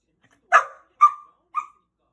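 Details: Angry rough collie puppy, a six-month-old female, barking at night: three short high yaps with brief falling tails, roughly every half second, the last softer, in a quiet room.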